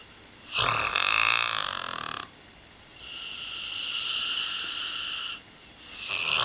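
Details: Eight-year-old springer spaniel Pip, a female treated with radiotherapy at the University of Liverpool for a nasal tumour, snores in long whistling breaths, a loud rasping one followed by a softer, steadier tonal breath, then another rising at the end.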